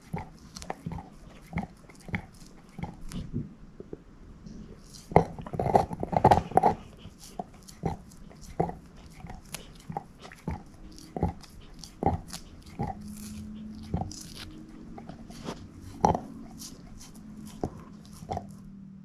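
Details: Moose, a female shepherd mix, working at a bone indoors: evenly spaced clicks and crunches of teeth on bone, a busier flurry of gnawing around six seconds, and a low steady hum in the second half.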